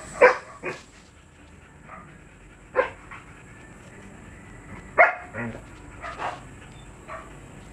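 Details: Siberian Husky at a kennel offering stud service; short sharp barks with bright harmonics come in scattered bursts, two or three close together, separated by quieter gaps with a faint steady high hum in the background.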